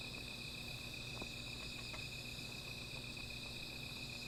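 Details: Insects at night by a small fire give an even, sustained high buzzing shimmer in several bands, with a few faint clicks and a low background hum.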